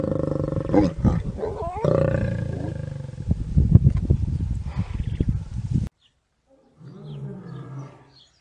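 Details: Lion and lioness during mating, one of four matings: harsh, irregular growling snarls in uneven bursts for about six seconds. After a break comes a quieter, lower rumbling growl.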